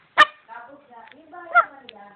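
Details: A small Shih Tzu barks at nothing visible, giving two short, sharp, high yaps about a second and a half apart, with softer tonal sounds drifting quietly between the barks.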